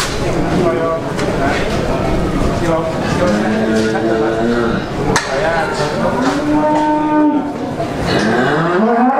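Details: Cattle, Simmental and Limousin, at the Grabag cattle market five days before the fasting month, lowing in long drawn moos with rising and falling harmonic tones, several animals overlapping, amid steady crowd and market noise.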